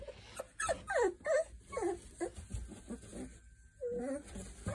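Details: Boerboel pups, three weeks old, whine and squeal in a rapid, uneven run of short downward-sliding whimpers, about three per second, with a brief pause before a final rising whine.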